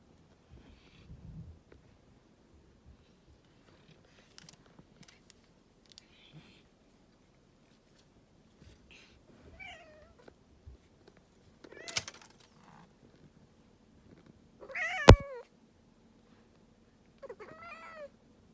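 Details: Domestic cat giving an unusual call indoors: several short, bent, harmonic meows around the middle and end, one louder cry near fifteen seconds, with quiet room noise and faint rustling between them.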